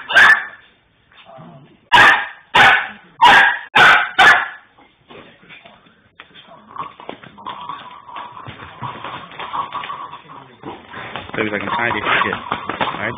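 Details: A Rhodesian Ridgeback pup named Nia playing with a Lhasa Apso, keeping the other dog at bay: six sharp, loud barks in quick succession over about two seconds, then quieter shuffling and indoor background noise.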